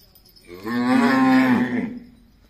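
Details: Cow at a gaushala in Jhunjhunu, India, giving a single long steady moo of about one second that swells and fades.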